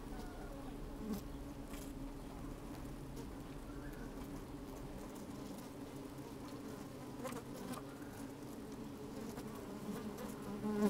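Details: Inside an opened beehive on a sunny, slightly windy day, many honey bees move about, giving a continuous low hum layered with soft crackling and scattered ticks, a sharper buzz swelling at the very end.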